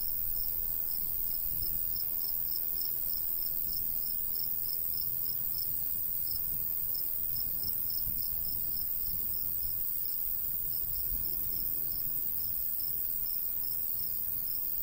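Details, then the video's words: Crickets calling in a summertime wheat field in the countryside: a long, steady train of thin high chirps, about three each second, with a gentle breeze murmuring low underneath. "Countryside/cricket sounds"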